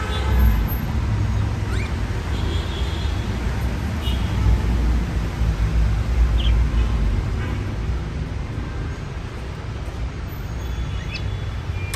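Steady low traffic rumble with passing vehicles and faint distant voices; no animal calls stand out.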